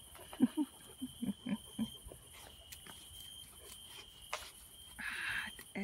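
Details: Happy, playful Komondor puppy enjoying its evening bath huffs in a quick run of about six low panting grunts within two seconds, followed by splashing water and a steady high electrical whine.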